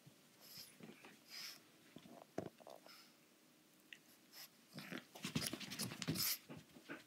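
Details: Pug puppy, a young female, attacking an anglerfish plush indoors: scattered snuffles build into a rapid, dense run of wheezing snorts and grunting breaths near the end, mixed with scuffing and toy noises.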